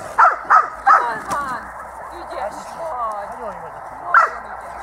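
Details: Dog-school recording of Itus, 8 December 2013: three quick sharp barks open, then Hungarian speech fills the middle before one more bark near the end; sound is thin and muffled.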